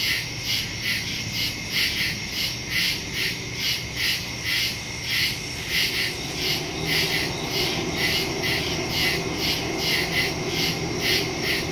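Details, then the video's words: Crickets in the woods at night, recorded September 2, 2023 on a phone with a stereo microphone: a dense overlapping chorus of high pulsed chirps, pulsing a little over twice per second, over a steady low rumble. "Crickets in the woods at night"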